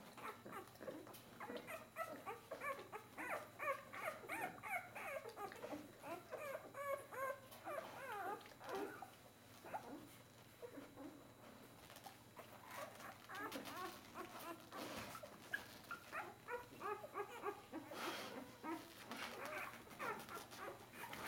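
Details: A litter of Bernese Mountain Dog puppies at four days old, pushing for milk; dense rapid squeaks and whimpering at first, thinning after the middle to scattered whines and occasional clicks and rustles.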